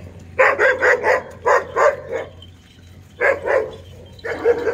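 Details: Dog barking at an ox or bull, short harsh barks in quick bursts of three to five, with pauses between bursts and a steady low hum beneath.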